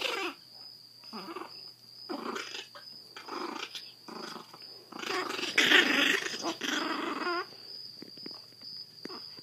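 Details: Rescued in Fort Worth, Texas, seven-week-old Chihuahua Zada, blind from hydrocephalus, growls in repeated rough pulses about every half second, building to a louder, wavering grumble midway before fading into quieter snuffles.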